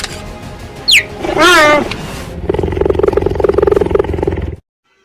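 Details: A cheetah communicating with its cubs gives a falling bird-like chirp and a wavering yelp, then a rapid, buzzy purring rattle.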